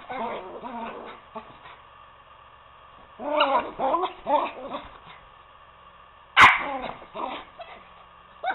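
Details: Poodles Toby and Lucy at play on a couch, Toby urging Lucy to wrestle: grumbling growls and whiny yips in two clusters separated by a quiet pause, broken by a single loud snap-like knock.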